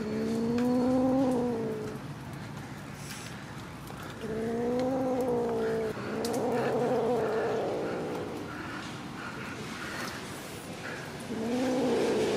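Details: Kitten meowing repeatedly: four long, even, slightly arched cries of about two seconds each, spaced several seconds apart, over a low background hum.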